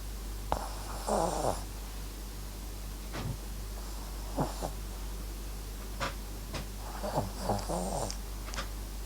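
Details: MAX, a Papillon and Japanese Chin mix dog, snoring while asleep: soft rasping breaths with a throaty rattle, several snores spaced a couple of seconds apart, against a quiet steady background hum.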